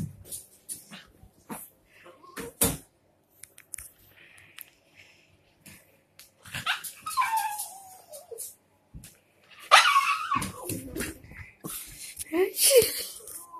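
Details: A pet dog making a variety of odd noises: scattered clicks and thumps, then rising and falling whiny yelps and squeals with a high-pitched whimpering burst near the end.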